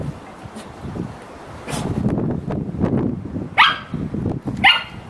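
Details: Dog at serious playtime: two sharp, bright barks about a second apart, following several seconds of low rustling and thumping movement sounds.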